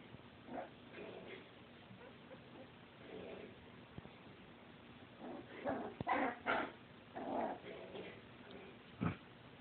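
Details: Dachshund puppies from a litter giving soft whimpering squeaks and short yips in irregular bursts, rising to a denser, louder cluster around the middle, over a low steady background hum.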